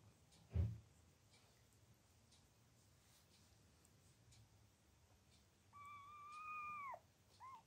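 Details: Anna the cat, a loving mother to kittens: a dull thump, a quiet pause, then one long high meow, held steady before dropping sharply at the end, and a brief faint squeak after.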